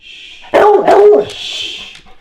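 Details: Excitable rescue trailhound reacting to squeaky toy sounds played through the TV: two loud barks in quick succession, framed by a thin, high squeaky tone before and after.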